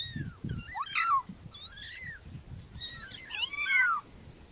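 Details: Several overlapping thin kitten mews with wavering, bending pitch, over low thumping and handling noise.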